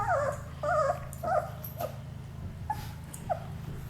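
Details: German Shepherd puppies, 10 days old, just starting to open their eyes, giving wavering whining cries that rise and fall, several in quick succession then shorter fading whimpers, over a low steady hum.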